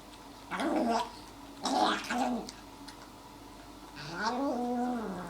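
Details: A cat in pain, suffering from stomatitis, gives three short strained vocalizations: two gargled, broken cries close together, then a longer wavering cry that rises and settles into a steady tone, in a quiet indoor room.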